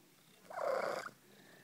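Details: Pet cat giving one short rolling, trilled chirp of about half a second, mid-pitched and even, set against quiet indoor background.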